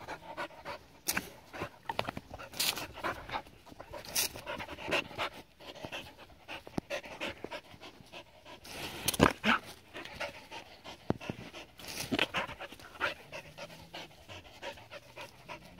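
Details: A Border Collie, seven years old, has fun in water, heard as steady, breathy panting broken by frequent sharp splashes and dripping.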